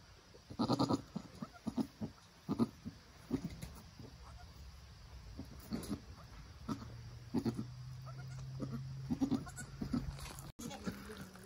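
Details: Nigerian Dwarf doe encouraging her newly born doeling kid as it learns to stand and nurse: a rapid run of low murmured grunts at the start, then sparser soft pulses over a faint steady hum.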